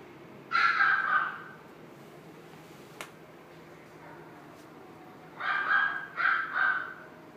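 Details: Male sable-and-white Pembroke Welsh Corgi born 13 April 2016, at a pet shop, gives one short, bright bark. After a quiet pause with a faint click, a quick run of two or three yapping barks follows, over a low steady room hum.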